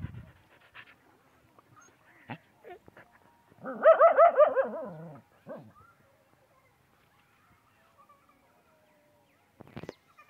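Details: Desi dogs in a desert setting; a single drawn-out, wavering tonal whine with rich harmonics rises and falls for about a second and a half, framed by faint scattered clicks and rustles.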